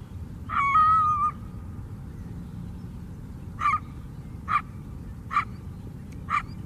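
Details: Wild coyote near a lakeside trail on Chicago's south side, in the city: one drawn-out, wavering howl-like yelp, then four short, sharp barks about a second apart, over a steady low urban rumble.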